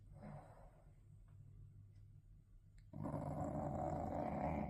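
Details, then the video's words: A sleeping English bulldog snoring indoors: low rumbling, throaty breaths repeating rapidly, quieter for the first three seconds, then a louder, harsher stretch of snorts to the end. "now thats snoring"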